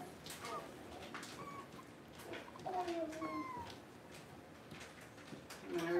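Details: Young puppies kept indoors while the power is out give a few thin, sliding whines, one longer drawn-out cry in the middle and a short squeal at the end, over soft room noise and a murmuring voice.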